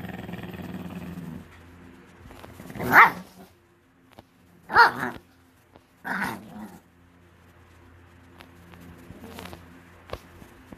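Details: Pekingese dog, angry and demanding breakfast after being teased and kept waiting, gives loud sharp barks at about three and five seconds, a shorter grumbling bark near six seconds, then quieter low noises in a calm room.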